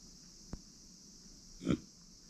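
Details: Uni, a female micro pig born in September 2020 and kept as a family pet, gives a single short, low grunt near the end, with a faint click earlier over a quiet indoor hum.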